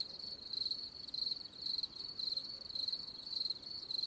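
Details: High-pitched cricket chirps: sharp, rapidly pulsed bursts repeated about every half second in a near-regular rhythm, with only soft hiss underneath.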